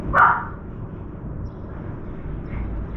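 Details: Puppy barking once as a crow soaks a chunk of meat in a water bowl on a veranda; a single sharp bark at the start, then low background rumble.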